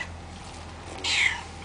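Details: A fat, hungry cat from a cat shelter gives one brief, high-pitched meow in the second half, bending slightly downward, against a quiet background hum.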